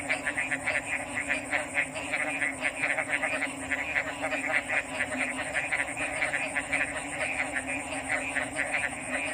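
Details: Frog chorus: many short pulsed calls overlap in a dense, steady stream at mid pitch. A continuous high hiss, possibly insects, and a low droning band run underneath throughout.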